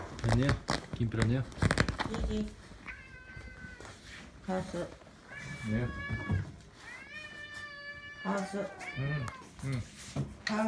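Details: Domestic cat indoors at bedtime, repeated long meows with bending, wavering pitch, interleaved with a person's quiet Japanese speech and soft handling noises.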